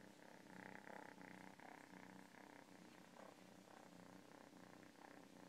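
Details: Close cat purr, a dense vibrating rumble pulsing in breathing cycles, swelling and easing a few times per second across the short stretch.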